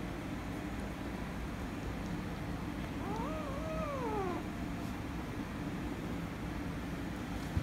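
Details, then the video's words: A wavering, drawn-out yowl with several rises and dips in pitch, heard as a kitten that wanted to play with a calico cat grows angry and they fight. Continuous low background noise. "Kitten Wants To Play With Calico Cat But Kitten Became Angry & Cats Fighting - Cats Meowing"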